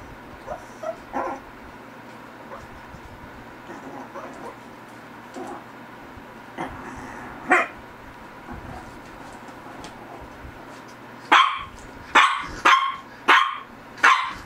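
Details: Soft yips and faint whimpers from a Shih Tzu build into a quick run of five loud, sharp barks near the end, about one per second, over a low constant hum.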